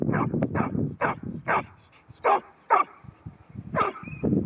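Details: Ten-month-old female New Zealand Huntaway named Ruby at Skipton. Loud, deep barks come in a quick run, then spaced single woofs roughly every half second. Quieter background rumble sits between them, with a faint high whistle.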